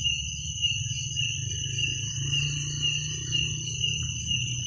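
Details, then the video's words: Crickets at night, a steady high chirring band with a second higher band above it, pulsing about twice a second, over a low rumble of background noise. "Suara jangkrik pada malam hari"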